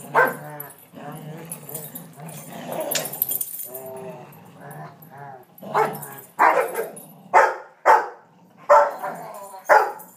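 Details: During a tug-of-war game between Lexie, a 1.5-year-old Rottweiler, and Riley, a 5-year-old ridgeback, chow and vizsla mix, filmed July 18, 2012, a low, steady growl rumbles for several seconds before a run of loud, sharp barks; human voices are heard too.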